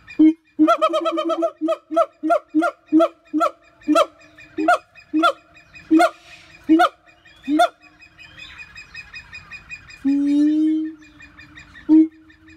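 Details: Siamang, an arboreal black-furred gibbon, calling: a rapid run of loud, hoarse barking hoots, about two per second, spaced farther apart as the series goes on, then a longer drawn-out wail and one final short hoot.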